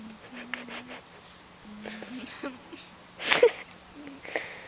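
A Labrador puppy makes low, droning whines and grumbles, broken by a sharp snorting burst.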